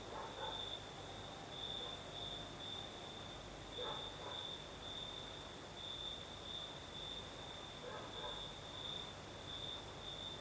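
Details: Crickets sing through a Crimean night in the south with a night breeze, giving a continuous high-pitched trill with uneven brighter pulses; faint lower chirps appear at a few moments over a steady hiss.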